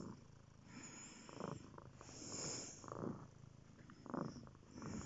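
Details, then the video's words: Close cat purr, a low vibrating rumble pulsing with inhale and exhale about once a second, breathy swells recurring steadily. "Magic purring"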